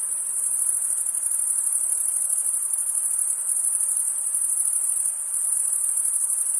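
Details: Night-time crickets in summer giving a steady, piercing high trill that barely wavers, with a slight dip in loudness near the end, over a soft background hiss.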